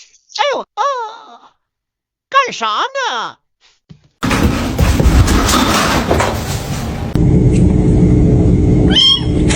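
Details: Kittens meowing indoors: two quick bursts of short, arched, nasal meows in the first four seconds, rising then falling, followed by loud rustling noise and one brief high squeal near the end.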